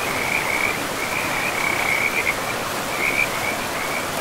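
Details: Short bursts of fast, rattling frog calls come and go every second or so, steady in pitch, over a dense hiss of river water in a moss-covered forest.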